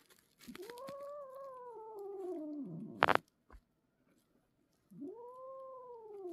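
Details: Irritated older sister cat growling at a kitten, a rescued stray: a long sliding yowl that sinks in pitch, a sharp click, silence, then a second rising moan.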